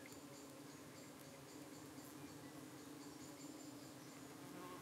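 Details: Honey bees at a UK hive entrance while parasitic-looking flies approach. A constant low droning hum sits beneath a noisy, hissy background with faint ticking sounds.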